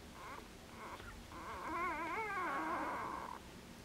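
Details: Border Collie puppy whimpering at four days old, from a litter born 29 August 2014, recorded 2 September 2014: a thin nasal whine swelling into a long wavering cry that dips and rises before cutting off.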